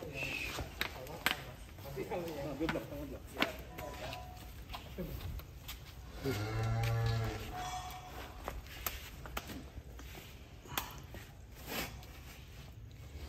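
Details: Huge fattened cattle at a pen: amid chatter, footsteps and clatter, one low, resonant moo rises out of the background for about a second, then men's talk resumes.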